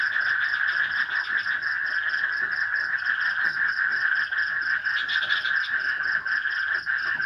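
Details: A dense night chorus of frogs in a swamp in a forested Indonesian village, with crickets and light rain: steady croaking and trilling calls overlapping without pause.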